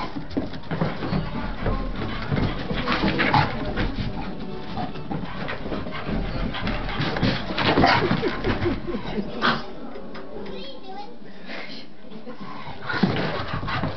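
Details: Two Staffordshire Bull Terriers, Jamie and Tyke, play fighting at home during their usual mad hour; rough, noisy scuffling with irregular bursts of throaty growling and snorting, a faint voice now and then.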